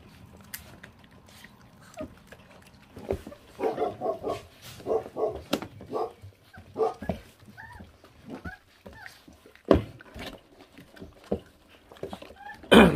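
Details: Feral dog puppy, born to a mother that does not care for her young, eating; a run of short, voiced grumbling growls in the middle, among sharp chewing clicks and a loud thump at the end.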